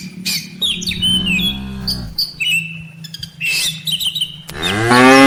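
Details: Cattle from a herd of dozens of tame cows and calves, grazing in a rice field before heading back to the farm barn; one low, drawn-out moo around two seconds long, then another beginning at the end, with lively bird chirps throughout.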